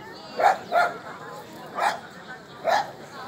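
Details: Border collie at a Rally-Obedience G1 class competition trial, barking: four short harmonic barks in about three seconds, the first two close together, then two spaced near one second apart, with faint background noise.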